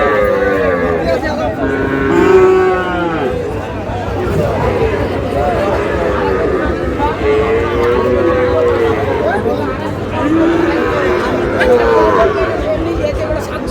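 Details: Sahiwal breed bull calves at a cattle market in Mymensingh, Bangladesh, on 7 July: several drawn-out, rising-and-falling moos sound at intervals over a steady background of crowd chatter and nearby voices.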